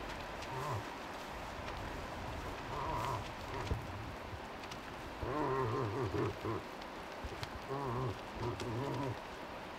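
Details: Low, nasal bleats from a very vocal cow moose accompanying a five-point bull in Tokke: a series of short, wavering moans, some in pairs, recurring every few seconds against a constant outdoor hiss.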